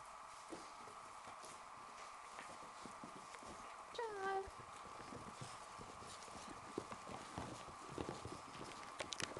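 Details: Italian Greyhound. A young Italian Greyhound lets out a single short whine that slides downward in pitch. A constant electrical hum, light tapping and clicking, and a little speech fill the rest.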